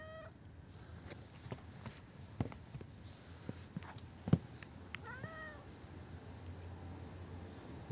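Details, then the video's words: Talkative, friendly street cat on a street, giving a brief high meow at the start and a short bent meow near the middle, over low street rumble and scattered taps. "Amazing meeting with a talkative cat."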